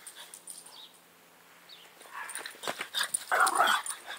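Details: French Bulldog in an excited, hyperactive fit: after a quiet start, a run of short, high, whining yips and a tight burst of squealing whimpers near the end, over scuffling.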